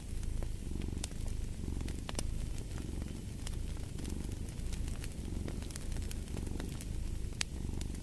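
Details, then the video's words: Steady low purring of a cat, a soft throbbing rumble that barely changes in loudness, accompanied by crackling fire with frequent sharp pops. "Purring of a Cat"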